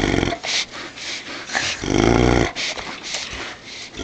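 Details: Great Dane growling close up while tugging a towel in play indoors. Rough, throaty growls come in uneven bursts, the longest and loudest about half a second near the middle, with short breathy pauses between.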